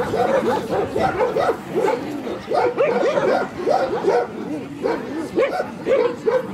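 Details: Central Asian Shepherd Dog at a club breed show in Kyiv (Krasylivka), Ukraine, on 28 September 2019, during ring judging; rapid series of deep repeated barks, several per second, with voices in the background.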